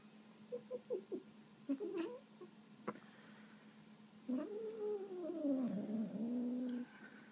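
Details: Indoors, a female kitten fed a bit of meat gives quick clicking smacks, then a long wavering moaning growl that dips and rises for over two seconds, all over a constant low hum.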